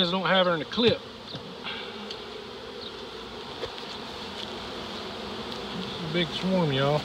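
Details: Honey bee swarm, nearly seven pounds of bees, being captured early in the season in Dale County, Alabama; continuous low, even buzzing runs through the middle, with a man's speech at the start and end.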